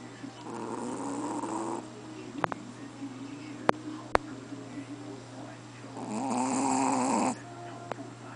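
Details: A sleeping Chihuahua snoring louder than a person: two long, raspy, drawn-out snores with a steady low hum between them and a few sharp clicks in the pause.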